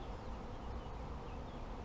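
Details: Honey bees humming at an apiary run by a novice beekeeper: an unbroken, low, buzzing drone of many bees, fairly even in loudness, with faint higher tones drifting in and out.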